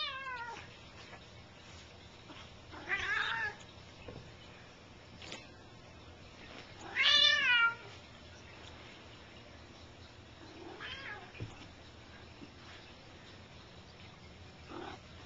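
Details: Bengal cats at play, with the big cat Gram making most of the noise while tussling with a kitten; loud harmonic meows, one near three seconds and a stronger drawn-out one near seven, then fainter calls.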